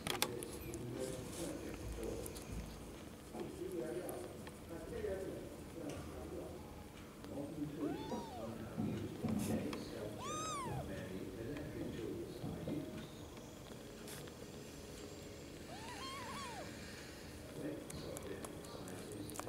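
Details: Young kittens that have just opened their eyes, held while sleeping, give three thin arching mews spaced a few seconds apart over a steady low murmur and handling noise.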